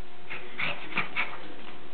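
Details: Male Shih Tzu, 17 months old, kept as a pet, dancing on his hind legs and waving his paws when he wants something such as a walk; three short, high whimpering yips within two seconds over a steady low hum.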